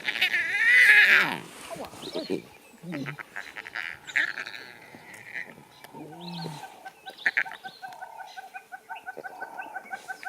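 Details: Young lion cubs at play give wavering, high mewing calls and soft grunts, with people talking nearby.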